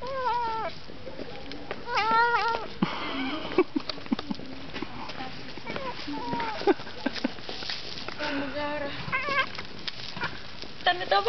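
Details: Domestic cat in Ternopil, Ukraine, hungry and angry while eating meat, giving several short whining meows scattered through the stretch, mixed with chewing, clicks and faint voices.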